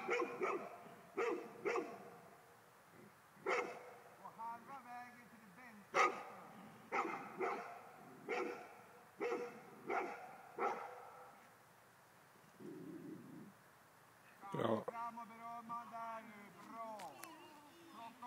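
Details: Male Golden Retriever barking at ghosts, a steady series of deep woofs roughly every half second, then a pause and higher, sliding whining or vocal sounds mixed with voices toward the end.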